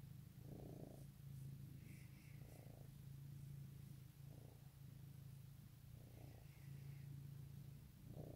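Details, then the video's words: Easter 2018 morning purr from a house cat: a steady low rumble pulsing with gentle breathy rises about every two seconds, plus faint soft higher tones twice. "Goodmorning Purrs"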